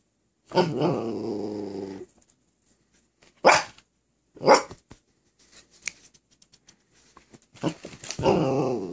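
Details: Miniature Australian Shepherd puppy Watson, recovering from surgery with a cone, asking for help and an okay to jump on the bed: a long harmonic moaning growl, two sharp barks, soft clicks, then another rising grumbling whine.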